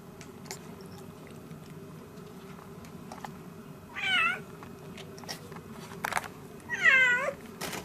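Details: Domestic cat indoors with newborn kittens born 3 December 2016 to a Siamese mother on her first litter: two high, wavering mews about three seconds apart, each rising then falling, over faint clicks and a low room hum.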